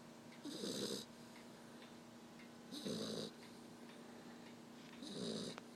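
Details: Tired black Labrador Retriever puppy snoring in its sleep at the end of the day: three even snores, about one every two and a half seconds, each a low grumbling rattle topped by a breathy hiss, over a steady faint hum.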